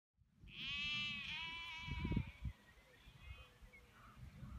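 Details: Sheep in the Cotswolds, England, giving one long wavering baa with a rich stack of harmonics that slides lower, followed by low thumps and handling noise.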